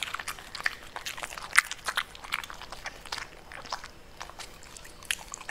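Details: Crunchy bites as a Pembroke Welsh Corgi eats purple cabbage, with snappy leaf-cracking chews, one louder crack early on, then steadier, quieter mastication.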